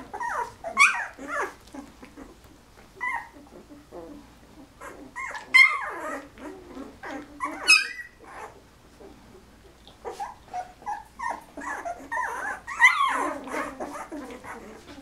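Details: Penny's litter of eleven 13-day-old Golden Retriever puppies, eyes just opening, giving scattered high squeaky whimpers and short rising-falling squeals, with quiet gaps and faint rustling between calls.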